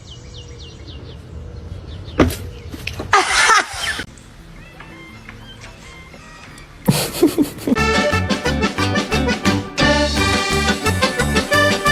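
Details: Quiet sparse music gives way to a loud rhythmic electronic beat with sharp effects; no animal voice is heard.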